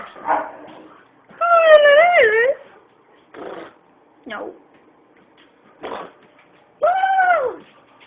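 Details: Boo the white boxer making funny noises: long, tonal, wavering whines that rise and fall, with short grunty and scratchy sounds between them. One drawn-out, arching moan comes near the end.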